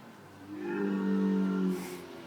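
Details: Camel at Bowmanville Zoo giving a drawn-out, low, droning moan with a steady hum, rising slightly in loudness and then fading after about a second.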